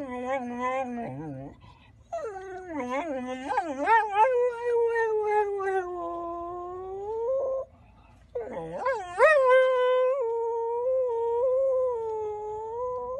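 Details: ['Male Golden Retriever howling indoors: long, sustained, wavering tones that rise and fall, broken by a short pause and then a fresh upward-swooping howl that levels off into a steady drawn-out note.']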